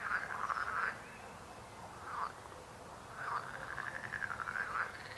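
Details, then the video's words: Frogs croaking, a chorus of rough, pulsed calls in bursts of under a second, repeated through the stretch with short pauses between them. "Rechot żab. Croaking frog sound."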